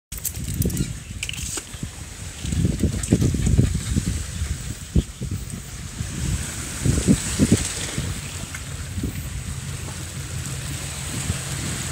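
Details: Outdoors on Lamma, strong gusting wind buffets the microphone with low rumbling, over a steady high hiss; no animal voice is heard.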